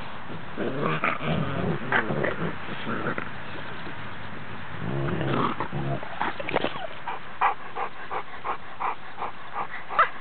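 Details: Five-week-old Cane Corso puppies with their mother give low, rough growls and short yelps in bursts, with muffled scuffling between them.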